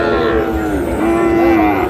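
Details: Sahiwal bull calf at a Bangladeshi cattle market in Madaripur, 3 April: a low, sustained, slightly wavering moo filling the whole two seconds, over a background of market noise.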